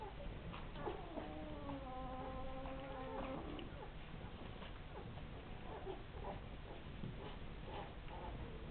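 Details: Rhodesian Ridgeback pups, ten days old: a drawn-out, wavering whine of about two seconds, then scattered faint soft squeaks over steady background hiss.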